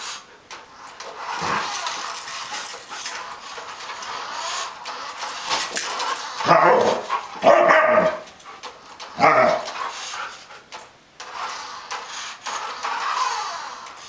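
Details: Samoyed kept as a family dog, barking while a remote-controlled armadillo chases it: three loud, rough barks spaced about a second apart, with scraping, rustling background noise throughout.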